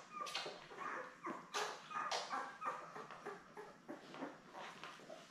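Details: A litter of seven Labrador Retriever puppies, born May 24, 2021, nestled with mother Belle and filmed on a live puppy cam on June 3, give a steady run of thin, high-pitched squeaks and whines, several each second, overlapping one another.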